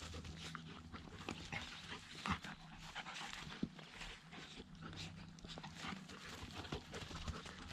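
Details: Zooka, a dog, at play with the much larger dog Willy during week 13. Quick breathy panting and rough scuffling noises fill the clip, broken by a few sharp knocks, above a constant low droning background.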